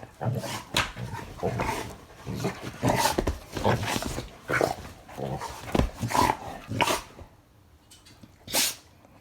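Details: Black Labrador Retriever Guri at play with an older dog six years its senior, a Weimaraner. Short gruff barks and growly bursts come in uneven clusters, with scuffling between them and a quieter pause near the end.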